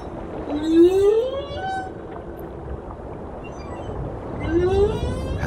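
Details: Male humpback whale singing two rising, moaning upsweeps at the Silver Banks, where humpbacks pass December to April; only males sing, possibly serenading a passing female, and this male is followed by a female.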